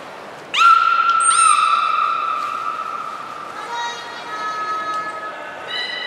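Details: Beluga Hodoi in training for stomach fluid collection and blood draw, Port of Nagoya Public Aquarium, 6 January 2019. A loud, long harmonic call sweeps briefly and then holds level for about three seconds, followed by quieter overlapping tonal calls in a reverberant hall.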